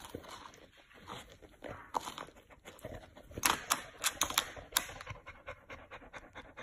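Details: Chow Chow cooling down with an ice block on a hot day, fast breathy panting broken by sharp licking and knocking clicks on the ice.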